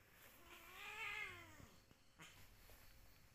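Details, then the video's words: Cat giving one drawn-out meow lasting about a second, rising then falling in pitch with bright harmonics, followed by faint clicks and low room noise. "Kucing lagi meong meong"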